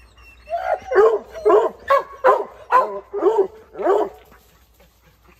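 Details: Dogs barking at something up in a tree after starting to bark outdoors; a series of about eight loud, hoarse barks in quick succession, roughly two per second, then a quiet pause.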